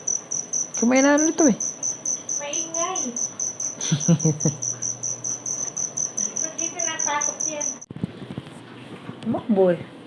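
A cricket keeps up a bright, high-pitched chirping, its pulses evenly spaced and unbroken throughout. A human voice speaks loudly over the top in short phrases.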